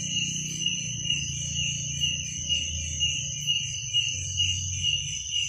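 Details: Night-time crickets keep up a continuous high ringing trill with faint regular pulses, while a low tonal hum, like a droning instrument, sits underneath.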